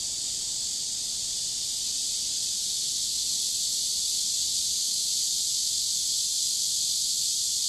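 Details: Riverside cicada chorus on a warm summer day, an unbroken shrill hiss-like buzz sustained at constant loudness throughout, with a soft low background murmur and no other clear callers.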